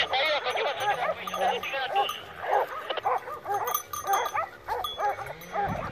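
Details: A pack of Segugio Maremmano scent hounds chasing wild boar near Poggio San Lorenzo, Rieti, in November 2017; loud frantic high-pitched bays and yelps tumble over one another almost without pause, with a low hum in the background.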